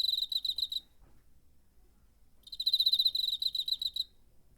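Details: Cricket heard in September 2019, captured with a portable recorder: two short trains of fast, evenly pulsed high-pitched chirps, the second longer at about 1.7 seconds, with near silence between.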